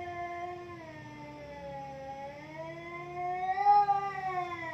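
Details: A cat locked in a quarrel with another cat, giving one sustained harmonic wail that dips slightly in the middle and climbs louder toward the close, like a slow siren.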